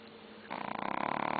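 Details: Tubby, a black long-coat chihuahua also called Shadow, sleeps and snores indoors with a TV on nearby. After a quiet start comes a loud, rapidly fluttering rattle, about thirty buzzy pulses a second, steady to the end.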